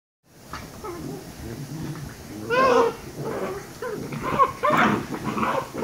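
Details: Two Shiba Inu puppies, 114 days old, indoors: soft high whining with a few louder yelping cries around the middle and near the end, rising and falling in pitch, amid low room noise.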